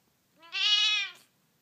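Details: A spoiled female Siamese cat, known to hiss, growl and yell at everyone, gives a loud, drawn-out yowl that swells and then breaks off abruptly.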